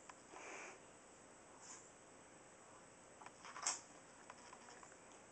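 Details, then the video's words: A single sharp, hissy sneeze from Max, the tiny two-and-a-half-pound Chihuahua, in a quiet room, preceded by a soft breathy rustle and followed by faint ticks. "Sneezing Chihuahua"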